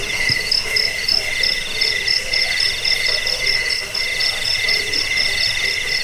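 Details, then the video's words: Crickets, played to repel rats, help sleep and train songbirds, give a continuous shrill chorus of rapid, bead-like pulses on two high tones that overlap without pause. "Suara jangkik pengusir tikus pengantar tidur"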